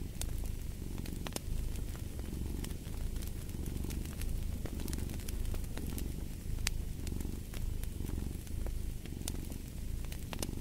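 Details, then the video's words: A domestic cat purring steadily by a fireplace: a low, rumbling purr swelling and fading in a regular breathing rhythm, about once every second or so, with sharp wood-fire crackles and pops scattered throughout. "Fall asleep to the Purring of a Cat & Fireplace"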